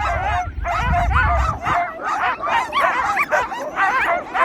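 Sled dogs give a constant chorus of wavering howls, yips and whines, one voice overlapping the next.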